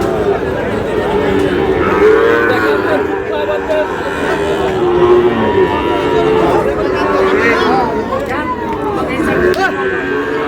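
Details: Sahiwal cattle at a busy market where a farmer from Cox's Bazar, Bangladesh, buys a bull calf: several cattle low in overlapping, drawn-out moos with steady harmonics, while buyers haggle loudly and a crowd chatters throughout.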